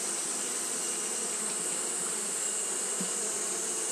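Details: Steady fanning hum from Japanese honey bees on a hot day, a thick unbroken drone layered with a constant high-pitched hiss; one faint soft thump near the third second.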